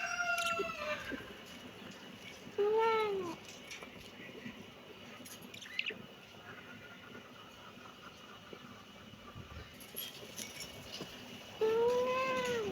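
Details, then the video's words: Kitten meowing in three clear, arched calls spaced far apart. Each cry rises and then falls in pitch and carries bright harmonics, with quiet background noise between the meows. "kitten meowing"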